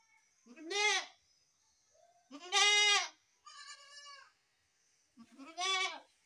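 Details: Goat kids calling with four bleats in about six seconds: three loud, rising-and-falling cries and one thinner, higher, steadier bleat between them, over a faint background hum.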